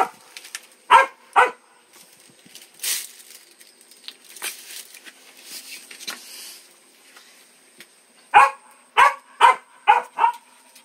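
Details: Young dog yapping twice, then a stretch of scuffling and rustling noise, followed by a quick run of about six high, clipped barks at the close.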